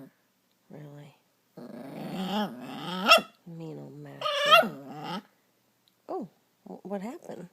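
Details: Dog angered by the theft of her chew toy by another dog, producing grumbling growls that break into sharp, higher yelping rises, several short bursts indoors with a person speaking soothingly nearby.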